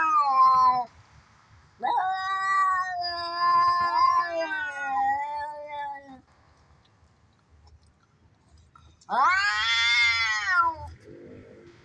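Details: Two cats fighting, a sound played to tease cats: a short wail, then a long wavering moan of about four seconds, a quiet spell, and a sharp rising high-pitched screech.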